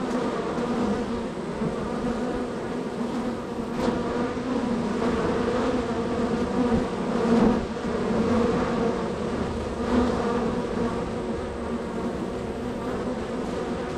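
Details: Very active honey bee hive, bees coming and going at the entrance; continuous low buzzing drone with strong harmonic bands, occasional louder passes of individual bees near the microphone.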